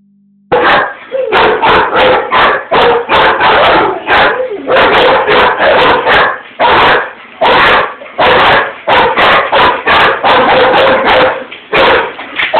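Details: German Shepherd barking at something outside a window, setting off a Rottweiler too, which he then chases away; rapid loud barks in dense runs, about 85 per minute, barely pausing.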